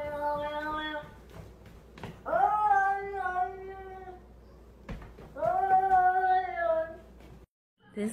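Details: Domestic cat indoors in a small room gives three long, rich, wailing meows, each about two seconds, swelling at the start and then sagging slightly, separated by short quiet gaps.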